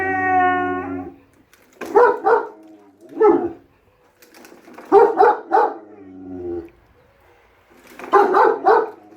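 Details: German Shepherd Enzo and Siberian Husky Shira, two pet dogs, arguing over a lawn mower: a long harmonic howl opens, then sharp barks in clusters of two or three, separated by quieter moaning tones.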